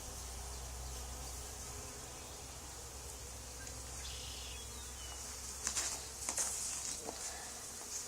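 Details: Honey bee swarm settled on the wall of an old barn, two days after another hive was cut out of it. A steady, dense droning hum runs throughout, with a few sharp clicks and scrapes near the end.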